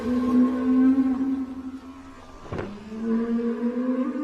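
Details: Whale song used for communication: steady, low harmonic moans that hold level, broken midway by a short sharp click, then resuming in slightly rising tones.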